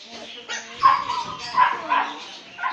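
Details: A male Siberian Husky gives short, mid-pitched whining yelps in quick bursts, with human voices nearby.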